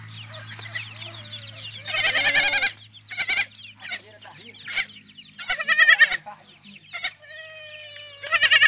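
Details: Rejected goat kids being bottle-fed after their mothers refused them; several loud, harmonic bleats in short bursts around two to eight seconds, with faint background sounds between calls.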